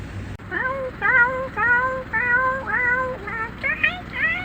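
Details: Dog giving a string of drawn-out, tonal whines, each rising then leveling off, about one every half second, with a low rumbling hum underneath.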